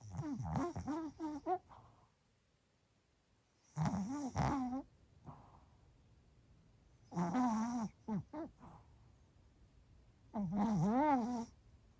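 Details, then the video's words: Pomeranian named Bochao snoring while asleep during a lunchtime break on 15 January, indoors: rough, throaty breaths in bursts about every three seconds, each lasting around a second, separated by near silence. "【いびき】【ポメラニアン ぼちゃお】"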